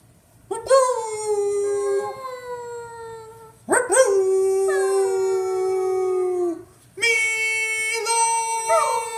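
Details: A Beagle named Mila howls: three long drawn-out howls, each starting with a sharp upward onset and then sliding slowly down in pitch, rich in harmonics, separated by brief pauses.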